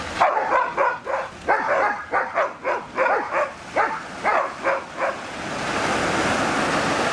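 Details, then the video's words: A dog trades barks with a sea lion in a barking duel. About a dozen short, hoarse barks come in a steady run of roughly two to three per second, then give way to broad rushing noise. "Dog Vs. Sea Lion Bark Battle"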